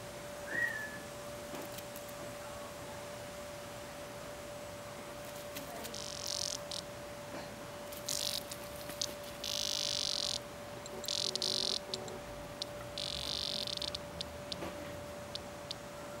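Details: A cicada, being played with by a cat, gives short, harsh bursts of high buzzing, each lasting about a second.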